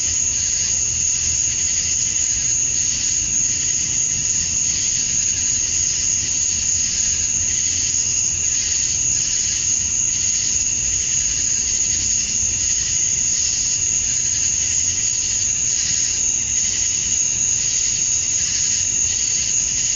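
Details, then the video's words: Male cicadas in Georgia, USA, singing at dusk on a summer night to attract females; an even, sustained high-pitched drone with buzzy lower layers and mild rhythmic swells, uninterrupted throughout. "Cicadas at Dusk, Summer Night"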